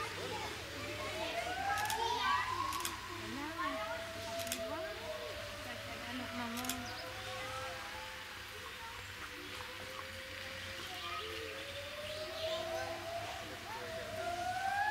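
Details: Wolves at Monde Sauvage howling together with people who howl along. Several long, smooth, drawn-out howls overlap, sliding up and down in a mid pitch, with sharp knocks and human voices mixed in.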